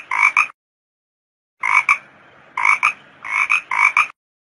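A toad gives short, nasal, croaking notes in quick pairs, repeated after brief pauses.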